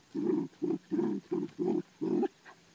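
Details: A rapid volley of six chesty, mid-pitched barks, evenly spaced and nearly back to back, from Ammo the Dachshund while hunting for groundhogs on a farm, ending with a softer final huff.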